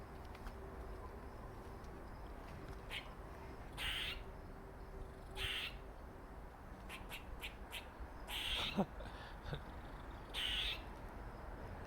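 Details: A dark-faced male squirrel makes funny noises: grating half-second bursts and clusters of sharp ticks, some paired, spread irregularly across the recording over a faint low hum.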